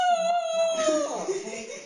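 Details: Fluffy, a dog crying while playing with a stuffed animal, holds a long, clear whine that slowly sinks in pitch, then breaks into rough, wavering tones.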